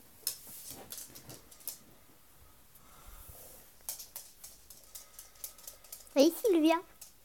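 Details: Two Chihuahuas, Silvia and Chinell, meeting for the first time indoors; after quiet clicks, taps and low human speech, a brief loud nasal whine breaks out near the end, a couple of wavering rising-and-falling cries.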